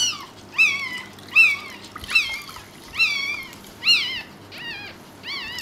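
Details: Newborn Pekingese puppy squeaking just after birth while its mother labours to deliver a second pup: high, arched cries with rich harmonics, repeated about once a second, over a faint indoor hum.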